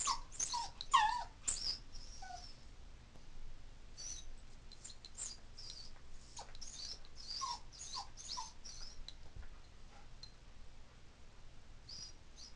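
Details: A female toy poodle born in 2003 whines in high, thin cries, repeated in quick bursts, as she misses her family when they leave the house.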